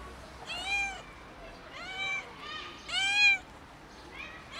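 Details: Four loud, bright kitten meows come about one second apart, each arching up then dropping, from a kitten meowing hard as it tumbles. A quiet background sits behind them.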